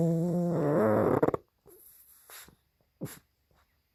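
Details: Sleeping pug, snoring and barking in its sleep: a low, droning, harmonic groan lasting just over a second, followed by near silence broken by a few soft snuffles and breaths.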